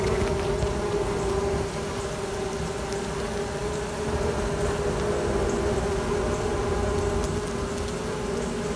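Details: Dense, even droning of a queenless honey bee colony raising new queens, one unbroken hum with a clear tonal band running through the whole stretch and no pauses.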